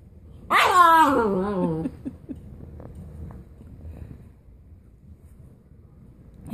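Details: Siberian Husky Ghost gives one drawn-out talking whine that starts high and slides downward over about a second and a half, followed by faint shuffling in a quiet room.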